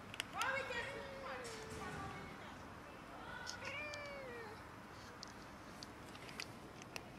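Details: Cats and a kitten quarrelling over food: two long, drawn-out meows with clear harmonics, the first sliding gently downward, the second short and falling at its end, with scattered clicks and taps around them.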